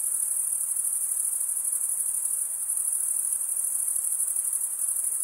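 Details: Continuous shrill cricket chorus, a dense ringing buzz held at one high pitch throughout, evenly loud, over a quiet background hiss.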